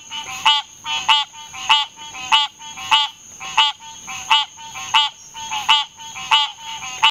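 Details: A green tree frog (Hyla cinerea) calls with short, nasal, bell-like honking quanks, repeated steadily about every half to two-thirds of a second, over a thin, steady high whine, likely an insect.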